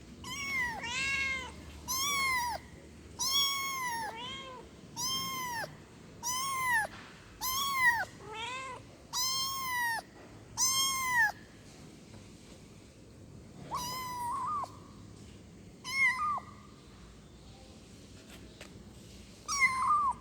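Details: Kitten calling for its mother with a steady run of high, clear meows, each rising then falling, about one every second or so, with short pauses and a few fainter calls toward the end; quiet indoor background.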